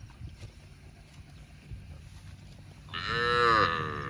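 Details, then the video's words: After quiet grazing sounds in a park, a cow gives one loud, full moo near the end, rising then gently falling, with many clear harmonics. "Cow sound mooing videos | Cute and Funny Cows sound mooing eating grass in park"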